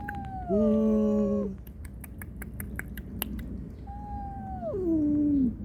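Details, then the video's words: Domestic cats: a mother's angry warning to an unwelcome visitor to guard her kittens and kittens' plaintive cries for her; two long, loud wailing meows, the second falling steeply at its end, with clicks between. "고양이 울음소리 여러가지 어미고양이가 새끼 보호를 위해 불청객에게 화난소리와 새끼고양이가 엄마 찾는 애절한 울음 소리"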